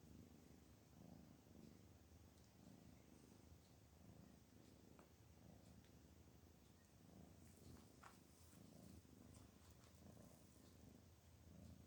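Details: Soft, low purring from a domestic cat that is relaxed and happy, swelling and fading in slow breathing cycles about every second and a half over quiet background hiss.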